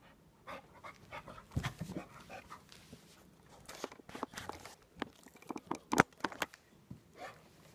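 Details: English bulldog, curious, snuffling and panting in short, noisy, breathy bursts, with a cluster of sharper snorts near the end and quiet gaps between.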